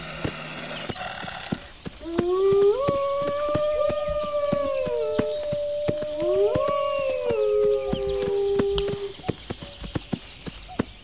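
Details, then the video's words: Wolf howls begin after two seconds: sustained, level tones rising at the start and falling at the end, two howls overlapping, then fading; steady crackling clicks in the background. "Wolves Howling"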